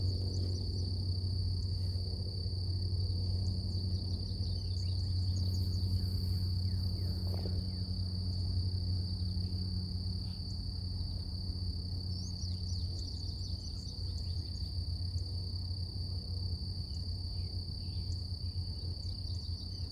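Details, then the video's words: Cicadas in nature on a morning, a steady high drone holding one pitch with a fainter upper overtone, over a heavy low rumble of wind and ambient noise; brief bird chirps appear around the middle and later. "Relax With Cicadas Nature | Calming Insect Sounds"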